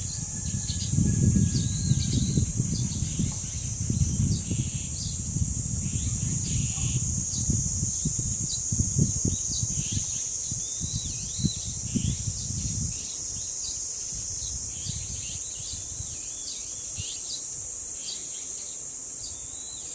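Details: Cicadas at the dangsan, the village shrine grove of Deoksan village, keep up a steady high hissing drone throughout. Many short chirping bird calls sit above it, and gusts of wind rumble low in the first thirteen seconds.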